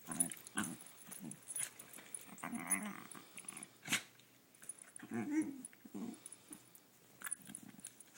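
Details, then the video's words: Female dog at home making funny little noises during play with her owner: soft, scattered grumbles and huffs in short bursts, quieter and breathier, with small knocks in the room. "Kiki makes funny noises"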